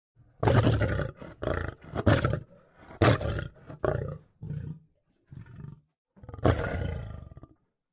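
A lion roars in a deep, rough series of about eight heavy bursts, the longer opening roars giving way to shorter grunting calls.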